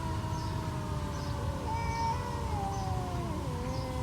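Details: Two stray cats confronting each other with long moaning yowls, steady at first, then bending and dropping in pitch toward the end, against a constant low rumble.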